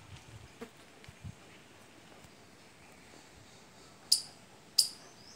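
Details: A squirrel gives two sharp, high-pitched chirps in quick succession near the end; it comes to mango and lychee trees as soon as fruit sets and calls through the whole season.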